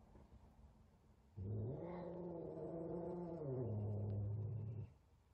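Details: F2 Savannah cat scared of a tiny kitten while the two meet for the first time: a single sustained low growling yowl lasting over three seconds, steady at first, then dipping lower and rougher before cutting off.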